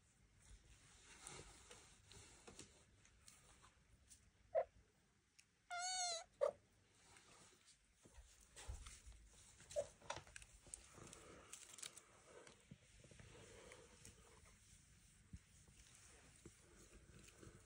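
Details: Devon Rex kittens, just taken out of the birthing box, take their first walk around a room under the watch of their mother Elma and an aunt; one short, high, bright kitten meow stands out amid soft rustling and scattered clicks.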